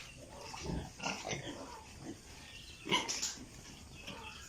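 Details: Piglets on a pig farm in Italy make scattered soft grunts, with one sharper, louder squeal near the three-second mark over a low barn hum.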